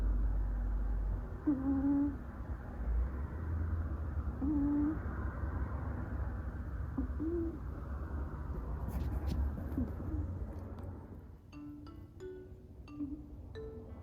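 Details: Sleeping pet cat, the younger sister, nestled into a companion's back, giving soft whistled snores roughly every three seconds, each a brief level tone; faint clicks and small tonal blips follow near the end.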